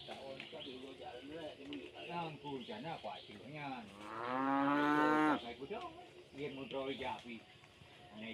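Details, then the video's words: Tame cows returning from village rice fields; a loud, drawn-out harmonic moo swells around the middle, surrounded by shorter overlapping lows and bellows from several animals amid general rural bustle. "the sound of tame cows returning from the village rice fields"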